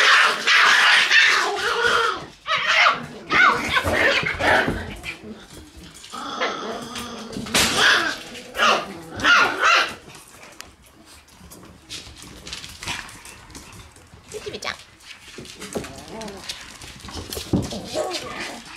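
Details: Shiba Inu puppies in their room on the morning of 11 November; bursts of high, sharp yelps and short barks, some drawn-out whining cries, uneven in rhythm, with quieter gaps between clusters.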